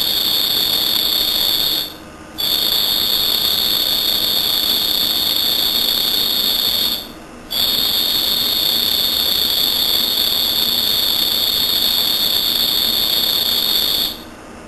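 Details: A cricket chirping at night trills steadily in a high, ringing tone, broken only by brief pauses; possibly its calling song.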